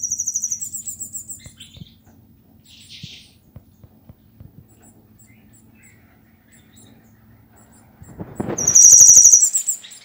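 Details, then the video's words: Cigarra rainha (queen cicada): loud, very high pulsed buzzing bursts open the song. A quiet stretch with faint ticks follows, then an intense, sustained shrill buzz swells over the final two seconds. "CIGARRA RAINHA"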